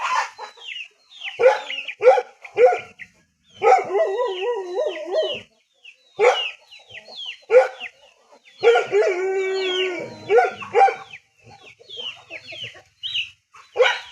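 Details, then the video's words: A poor dog in a rural setting alternates short barks with two long wavering, quavering howls. High-pitched chirping continues in the background. "Sound of poor dog in rural"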